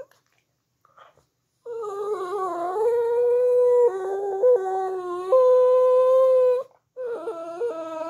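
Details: Shih Tzu. A Shih Tzu gives a drawn-out howl that bends and wavers in pitch, holding steady notes between slides. After a brief pause, it starts another, shorter wavering howl.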